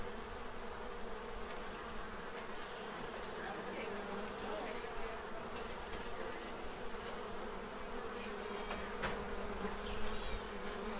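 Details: Quiet, even buzzing of bees feeding at a tray to prepare for winter in Central Illinois, a faint continuous hum with little change throughout.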